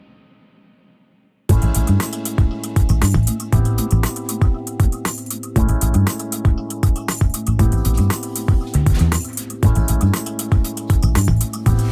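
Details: A brief near-silent hum gives way to steady guitar and drum-machine music with a regular beat; no animal sounds are heard.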